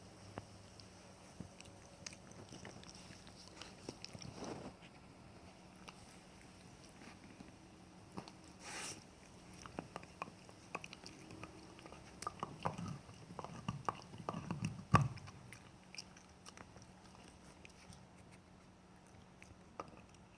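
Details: Pet Jack Russell Terrier, a male, working on a bone inside a small room; sparse gnawing clicks and occasional crunches, with a busier burst of biting near the end before it quiets again.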